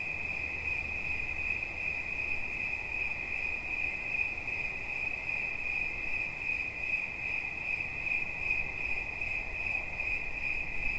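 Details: A steady, shrill cricket trill of rapid pulses stays at one bright pitch throughout, with thin overtones higher up and a quiet low hum in the background.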